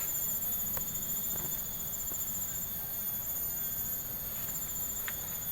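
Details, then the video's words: Insects calling in a village during a walk: continuous, thin, very high steady whines in several bands, with low rumbling footsteps and faint scattered clicks below. "Take A Walk To Hear The Insect Sound"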